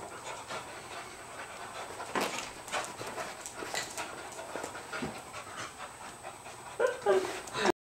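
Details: English Cocker Spaniels playing on a rainy day in the Pacific Northwest: quick, airy panting runs throughout, with a human voice mixed in and louder scuffling near the end.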